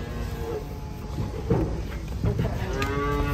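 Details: Cattle unloaded from a truck, with low background rumble and a short, faint moo early on, then another drawn-out tonal moo starting near the end.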